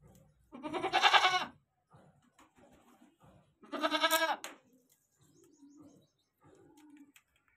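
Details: Goats on a farm bleating: two loud, wavering, nasal bleats about three seconds apart, each roughly a second long with a quavering vibrato, between them softer low cooing sounds and faint scattered noises.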